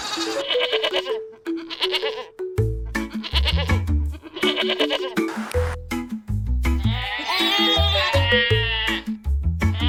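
A domestic goat bleats with a quavering, nasal tone that wobbles up and down for a couple of seconds. Bouncy music plays throughout and largely covers the call.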